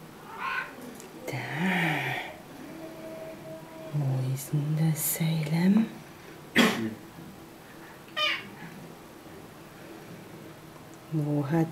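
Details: A male Siamese cat answers its owner with drawn-out, wavering meows and a short chirp while playing his favourite peek-a-boo game, talking back.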